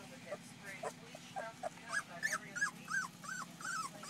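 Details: Puppies aged two weeks from the July litter of Paris and Dutch squeak in quick short whimpers, several a second, thin arched cries becoming more frequent toward the end, with faint talking early on and a low hum behind.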